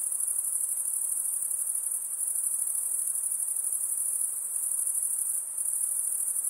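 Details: Continuous piercing insect buzz, very high and even, with a brief dip in intensity toward the end and only faint hiss beneath.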